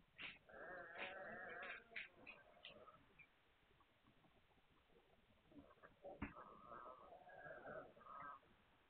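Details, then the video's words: Hungarian Vizsla puppies, 9 March 2021: clusters of high, squeaky whines and yelps in quick bursts, several voices overlapping, then a quiet stretch before a sharp yelp and more whimpering. "Magyar Vizsla Welpen"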